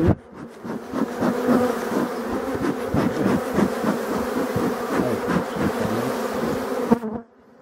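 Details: European dark bee colony in a Voirnot hive, from hives abandoned in a forest, being readied for winter on 30 October 2021: dense continuous droning buzz with rapid crackling taps and rustling throughout, ending abruptly.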